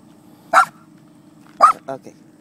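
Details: Miniature Poodle Romeo, on a visit to Bristow, Virginia, meets horses for the first time and lets out two sharp yappy barks about a second apart, the second trailing into softer huffs over a low background hum.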